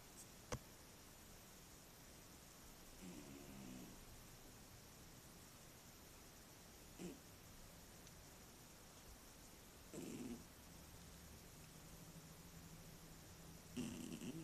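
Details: Domestic cat named Mityusha snoring while asleep indoors, recorded on a tablet; three short, soft, raspy snoring breaths spaced several seconds apart over a steady background hiss, with a couple of faint clicks.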